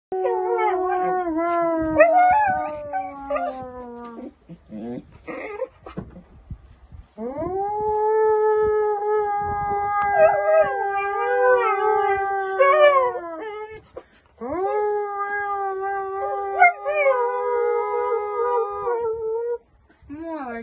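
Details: Pet dog howling in a playful duet as people sing a cheerful song together with it; long sustained, wavering tonal notes with rich overtones, broken by short pauses and brief choppy bits, voices blending throughout.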